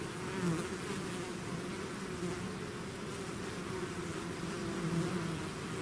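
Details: Natural sound of a bee swarm out of its hive: a steady droning hum made of many overlapping buzzes, individual bees' pitches rising and falling briefly against the even background.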